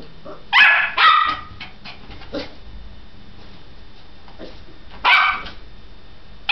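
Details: Energetic dog barking while running: two sharp barks close together, a softer bark near the middle, then another loud bark and one more at the very end, with quiet pauses between.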